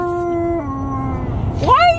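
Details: Malamute in a car on a road trip howls a long steady note that steps down in pitch, then ends with a sharp rising yelp-like upsweep, with constant low engine and road noise underneath.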